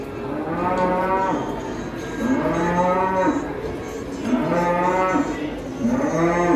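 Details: A fat, scary cow on a rampage bellows a series of loud, long moos, each about two seconds, rich in harmonics and slightly falling at the end, with short pauses between.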